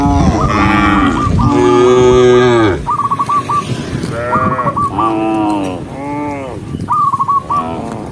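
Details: A herd of gentle cattle walking along a country path as the sun sets, lowing to call others home: drawn-out, throaty moos that rise and fall, overlapping, with rapid whistled chirps in short runs between them.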